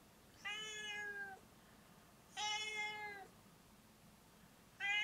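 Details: Foo, a pet cat wanting to be let outside, meows repeatedly: clear, rich, gently descending cries nearly a second long, with a third starting as the recording ends; quiet room otherwise.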